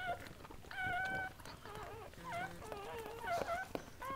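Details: High, tonal whines from Sandy's litter during the birth of seven Goldendoodle puppies indoors: short wavering squeals, some steady and some bending up and down, come one after another, with soft handling noises between.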